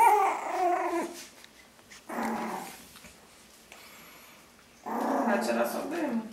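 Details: Five playful Yorkshire Terrier puppies, one month old, play-fight indoors; short rough growling bursts come in three spells separated by quieter gaps, with a woman speaking Portuguese over and between them.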